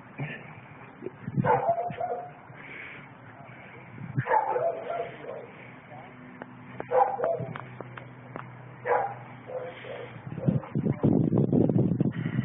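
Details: Akita, a large Japanese spitz dog breed, giving short sharp barks in scattered bursts, with people talking between and over the barks and a dense low rumbling noise toward the end.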